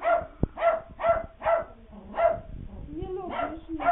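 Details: Frightened puppies yapping at a Halloween prop, giving quick high barks in an uneven run, with a brief lower voice-like sound near the end between the yaps.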